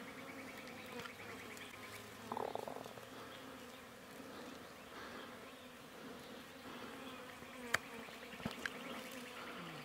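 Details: Wild honey bees from a mountain hive in rural Iran, disturbed during removal from a bush, give a steady, low, humming drone. Brief clicks and rustles sound, and a person exclaims nearby.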